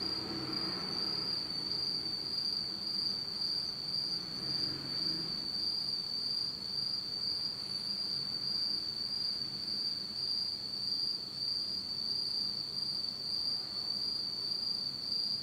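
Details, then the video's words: Insects on a Japanese autumn night in total darkness give a sustained, shrill, single-pitched trill throughout, while a faint low rumble passes beneath during the first five seconds. "真っ暗闇の秋の虫の声 Beautiful sound of insects in the fall of Japan in total darkness."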